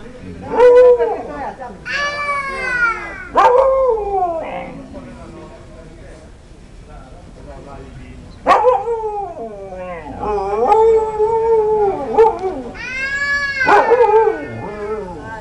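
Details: Baby husky vocalizing in long, wavering 'woo' howls that rise and fall in pitch, given in several drawn-out bursts with short pauses between them, the later calls held longer and sliding downward at the end.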